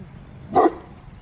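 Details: Eight-month-old male Boerboel, still a puppy, giving a single short, deep bark midway, with quiet background otherwise.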